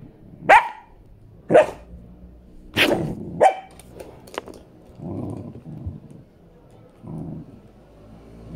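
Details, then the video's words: A five-month-old female Samoyed puppy named Miss KittyCat plays rough with her owner, giving four sharp barks near the start, then soft growling grumbles and scuffling sounds. "Baby Samoyed Attacking The Owner - 5 months old"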